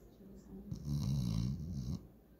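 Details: German Shorthaired Pointer called Walker, asleep and dreaming, lets out one long, low, vibrating snore lasting over a second, rattling and steady, after a quiet breath.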